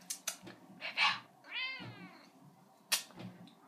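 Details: A female seal point Siamese cat, a little over 4 years old, sits in a bathroom sink giving a drawn-out, arching meow, rising then falling, between a woman's soft words.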